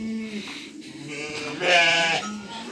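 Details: Several farm lambs bleating one evening around feeding time, after taking milk from their ewes: short lower bleats, then a louder, higher, quavering bleat near the end.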